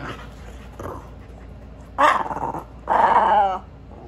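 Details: Sully the Boston Terrier and Kumo the Keeshond playing on a couch indoors; two loud, rough growling grumbles, the first wavering for half a second, the second a longer harmonic growl about a second later, over quiet room background.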